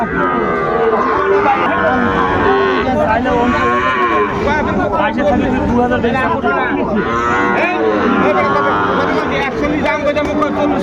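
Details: Several Sahiwal bull calves at Ambari market in Dinajpur, Bangladesh, 23 February, as trading begins: long, wavering lowing calls that rise and fall, layered over one another, with busy crowd noise and nearby talk.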